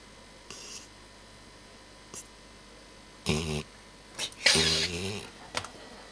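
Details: Nero, a Labrador Retriever, snoring indoors, which happens only rarely: rough, buzzy snores with a low, throaty tone, in bursts under a second long at uneven intervals, with fainter breathy snuffles in between.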